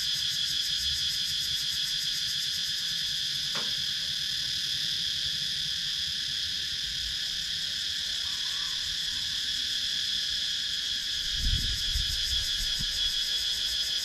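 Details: In wooded countryside of Sakon Nakhon, Thailand, cicadas produce a constant bright, high buzzing drone with fine rapid pulsations, captured on a GoPro Hero 9; a sharp click near four seconds and a soft low thump near eleven seconds.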